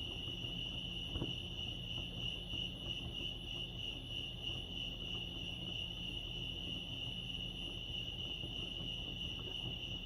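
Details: Chorus of crickets at Lake Arrowhead in California: a continuous piercing, even-pitched trill with no pauses, plus faint low background rumble and a brief soft knock early on.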